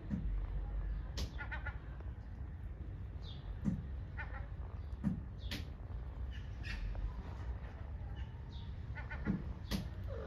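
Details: Hungry stray kitten on the streets of Istanbul calling for its mother cat: short, faint meows scattered through the recording, a few seconds apart, over a constant low rumble of street noise.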